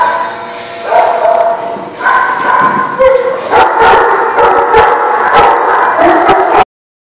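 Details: A chorus of dogs at The Barking Lot on 6/10/17 barks continuously, with loud, overlapping harmonic barks and sharp clicks, until the sound cuts off abruptly near the end.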